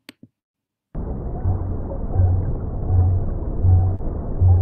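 A blue whale's deep, low pulses repeat steadily beneath a wash of underwater noise.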